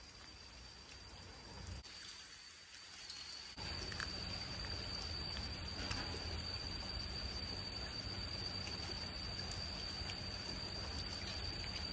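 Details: Steady rain patters on surfaces, briefly quieter then heavier from about four seconds, with a faint hum and no animal calls.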